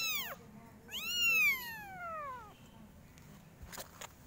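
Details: Kitten meowing very loudly, from a group of five kittens: a short, high meow sliding steeply down, then a longer, drawn-out meow falling gradually in pitch, followed by quiet with a few faint clicks.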